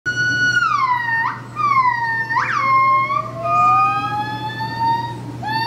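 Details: A male and a female buff-cheeked gibbon at Phoenix Zoo vocalize with strong, clear siren-like notes that slide downward, then leap upward in quick swoops, ending in a long, slowly rising wail, over a low steady mechanical hum.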